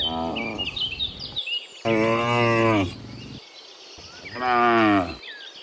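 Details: ['Cows, dozens of them, mooing in the afternoon on the way from the fields to their pen; a long drawn-out low moo is followed by a shorter one, with earlier lowing and birds twittering behind.']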